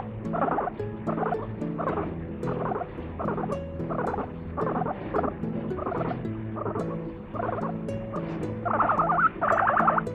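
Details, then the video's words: Laughing pet guinea pig giving a long run of short chattering bursts at a quick, uneven pace, growing louder near the end, with faint steady tones in the background. "めちゃくちゃ笑うモルモット Laughing guinea pig"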